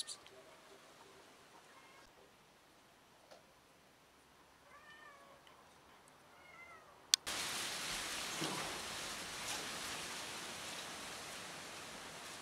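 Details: A lost kitten reunited with her family gives a run of thin, high, arching meows, several in quick succession around the middle, after quiet room noise; a sharp click follows, then a loud steady rushing noise takes over.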